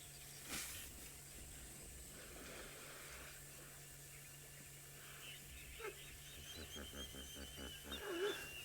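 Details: A school of hippopotamuses on African safari calls together in a rough chorus of deep, pulsing honks that build in a rapid series.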